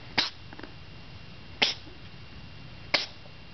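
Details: Charlie the cat gives a purring-induced sneeze: three sharp, hissy sneezes about a second and a half apart over a faint, continuous low purr in a quiet room.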